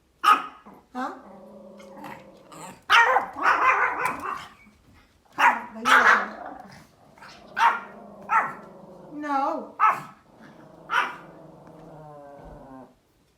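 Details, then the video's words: Small Pomeranian dog outdoors giving funny, cute barks: clusters of high, sharp yaps and a few longer harsh barks, interleaved with a woman's Vietnamese speech. "The small Pomeranian dog makes a funny barking sounds outdoor"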